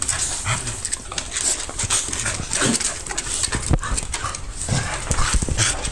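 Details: Cardigan Welsh Corgi recorded close up on a mobile phone camera. Quick, noisy breathing and snuffling bursts fill the clip, with rustling handling sounds.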